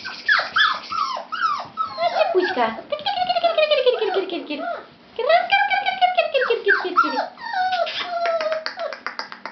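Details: A litter of fawn Labrador Retriever puppies whimpers and whines in overlapping, falling, high-pitched cries.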